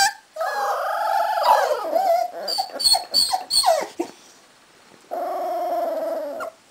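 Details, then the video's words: Cardigan Welsh Corgi puppies, a litter aged 3.5 weeks, kennel in Sweden, howling: wavering tonal wails with rich harmonics, a broken squeaky middle section with short yips, then a steady held note after a pause. "Howling Welsh Corgi Cardigan puppies"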